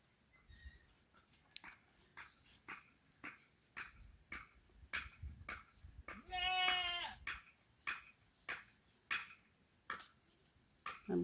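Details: Pet goat sheltering in shade in a sunny field, thirsty from the heat; one short wavering bleat midway, surrounded by regular soft clicks or steps about every half second.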